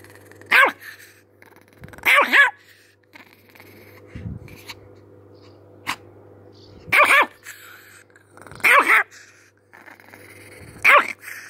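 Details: Angry chihuahua yapping in short, shrill bursts, some doubled, roughly every two seconds, with a constant low hum underneath.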